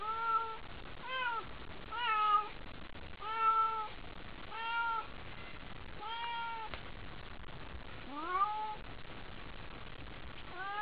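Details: Haiko, a pet cat worked up by a toy at night, meows insistently, about eight bright, arching meows in quick succession, some rising in pitch, against a quiet room hum.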